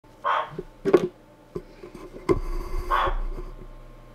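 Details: A captive male giant waxy monkey frog (Phyllomedusa bicolor) in London gives short, hoarse, bark-like chucks, calling to attract a female; recorded on a computer microphone.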